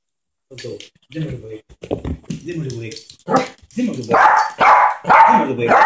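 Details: Ketty, a little Yorkshire terrier, plays with a young child indoors. Baby babbling and an adult voice come first, then five quick, bright yips in close succession.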